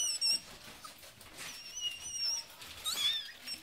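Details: Just-born Yorkie puppies cry while the mother delivers a litter in Michigan; drawn-out thin whines alternate with brief piercing squeaks across a few seconds, a faint rustle behind.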